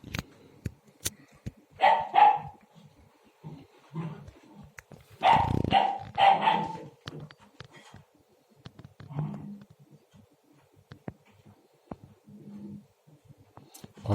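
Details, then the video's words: Akbash puppy that began barking only a day or two ago, tussling with its water bowl indoors: a double bark, then after a pause a louder burst of three or four yapping barks, with scattered thuds and a quiet human voice. "Havlamaya Başladı !"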